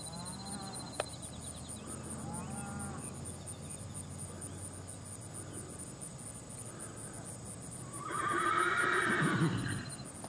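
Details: Lexi, a Tennessee Walking Horse trail mare at age 3, barefoot in a french link snaffle; after faint bird calls and a steady background hum, a whinny rises near the end, lasting under two seconds and trailing into a lower falling tail.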